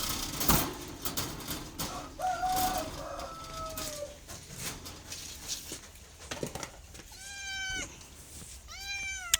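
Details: Domestic cat giving two clear, falling meows near the end, after a stretch of crackling, clattering background noise and a faint low drawn-out tone.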